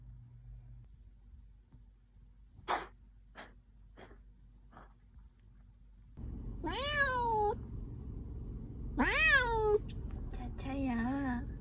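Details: Siamese cat at an animal hospital, brought in for a cough, gives three plaintive meows in the latter half, each rising then sliding down, the last one shorter and wavering; earlier a few sharp clicks and soft indoor rustling.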